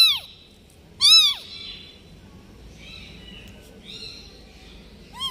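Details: Newborn kitten left by its mother cat, crying with loud high meows: one short call at the start, a strong arched meow near one second, fainter calls in between and another at the end, with quiet background hiss.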